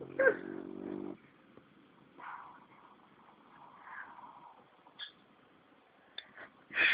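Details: A seven-month-old French Bulldog named Greg snores while asleep on a lap: one long low buzzy rasping breath in the first second, then softer breathy swells about every two seconds, with a few faint clicks and rustles.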